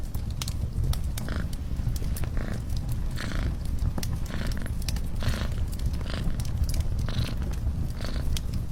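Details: Continuous, deep, vibrating purring from a cat by a fireplace, with scattered crisp crackles and pops of burning logs throughout.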